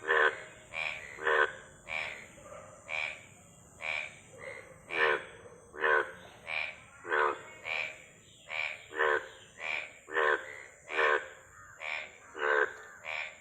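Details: Frogs croaking: a steady series of short, pulsed, raspy croaks repeated roughly every half second to second, several voices overlapping in a regular rhythm, with a faint constant high hiss behind.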